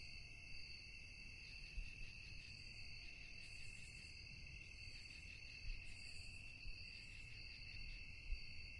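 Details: Nocturnal cricket chorus: unbroken shrill ringing tones with quick pulsing, joined by brief higher buzzy bursts now and then, over a low rumbling background with a few soft knocks.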